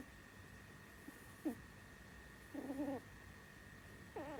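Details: Pet rabbit Sumi snores in her sleep, a habit since she was small: a quick squeak, then a longer wavering nasal snore and a third starting, irregularly spaced, against a steady low electrical hum.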